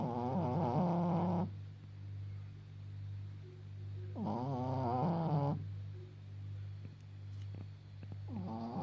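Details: Elderly Pekingese Maggie, 14.5 years old, blind and hard of hearing, snoring: three rough, vibrating snores roughly every four seconds, each a second or so long, separated by quiet breathing over a constant low room hum.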